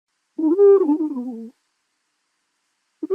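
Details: Porcupine, the spiny mammal, voicing a single drawn-out whine: a nasal, wavering moan with several overtones that rises slightly, then falls and fades over about a second, followed by silence and the start of another call.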